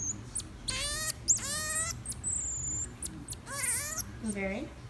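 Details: Common marmoset kept as a pet, eating blueberries: a short high whistle, then several quavering, tremulous cries that bend up and down, ending in a lower, downward wail.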